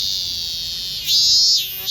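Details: Minminzemi (robust cicada) singing: a steady, high, shrill drone that swells into a louder, higher-pitched surge partway through, then dips and starts to rise again.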